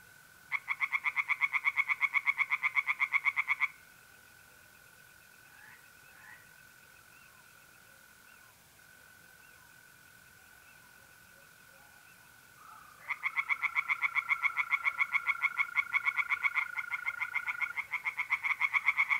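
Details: Mid-April night at a pond in North-East Italy: tree frogs break into dense bursts of rapid pulsed croaking, fall silent for about nine seconds while mole crickets trill steadily, then resume in full chorus.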